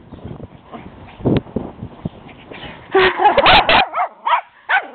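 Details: Teddy, a small Shih Tzu pup, barking at the much bigger but equally playful dog next door; muffled low sounds at first, then a burst of sharp, high yapping barks with quick wavering yelps in the last two seconds.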